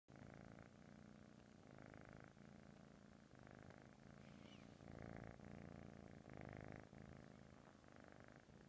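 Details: A sleeping British Shorthair kitten purrs and snores in a low, steady rumble that swells and eases with each breath.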